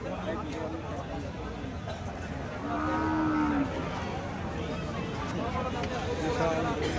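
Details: Holstein Friesian cattle, large bulls of around one ton, shown at a cattle market in Chuadanga before Eid ul-Adha; one drawn-out low moo lasting about a second amid crowd chatter and speech.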